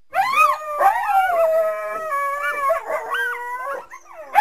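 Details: Coyote calling through the trees from a backyard on a winter day: clear, wavering howls that slide down and then rise again, with tonal upper harmonics and short breaks between phrases.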